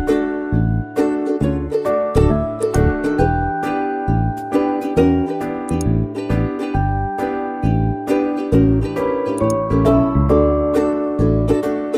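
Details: Plucked ukulele-like music with a steady strummed rhythm plays throughout, with no animal voices.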